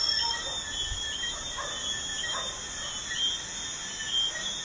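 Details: Crickets at night by a busy highway keep up a constant high-pitched trill in layered bands, with a few soft mid-pitched chirps and a brief low thump from the road.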